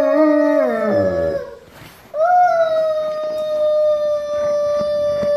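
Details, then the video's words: Benz, an Alaskan Malamute, joins a family sing-along. A falling, wavering howl fades out, followed by a brief pause. After that, a long, steady, level howl holds to the end. "Dog Singing | Alaskan Malamute make choir with Family"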